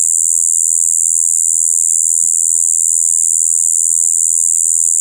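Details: Shibuiro kayakiri katydid, recorded 2 April 2023, buzzing a flat, unchanging "bii" of mixed high and low tones throughout, with one tiny soft click partway through.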